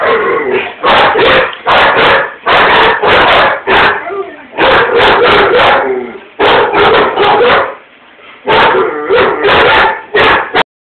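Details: Indoor German Shepherd and Rottweiler barking at something outside the window and at each other; rapid bursts of loud, rough barks in clusters of two to four, with a brief lull near the end.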